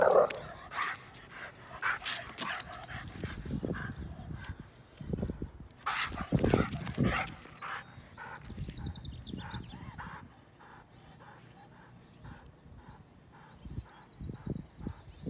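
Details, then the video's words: Belgian Malinois mix dog reacting to a coyote: loud, harsh barks burst out in clusters over the first seven seconds, then settle into a steady run of shorter barks about twice a second with a thin high whine above. "Belgian Malinois Mix’s Reaction to Coyote"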